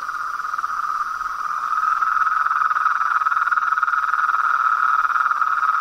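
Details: Frogs calling in the wild as a continuous fast-pulsed trill on one steady pitch band, swelling gradually louder through the clip.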